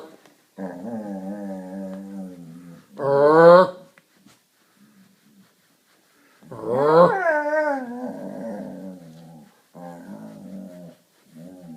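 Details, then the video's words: Collie indoors making strange noises during a nightly game she loves: long harmonic whines and moaning howls, some rising then falling, in bursts separated by brief pauses. "My Collie Makes Strange Noises"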